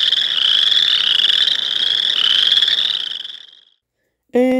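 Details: Boreal Chorus Frog calling, its voice being the main way to separate it from the Western Chorus Frog: a sustained high, rapidly pulsed trill that tapers off after about three seconds, then a short burst of a person's voice.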